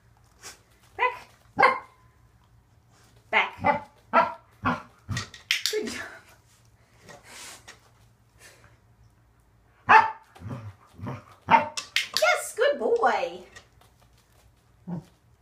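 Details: Waffle, a male pet Corgi, barks in bursts while training to extend his legs behind him. Irregular clusters of sharp barks and yips come from a small room, with an owner's occasional praise of "good boy" and "good job".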